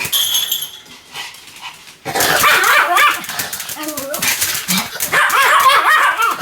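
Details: Pomeranian barking continuously in a long run of sharp, overlapping yaps after a quieter opening second of faint sounds; the barks crowd together with rising and falling tones, and a high whine-like tone sits at the very start.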